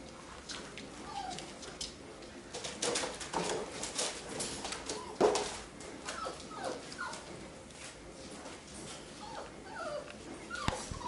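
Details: Labrador Retriever puppies of a B litter playing relaxed together and fooling around: short high whimpers and yips scattered through, mixed with scuffling, clicking and rustling noises.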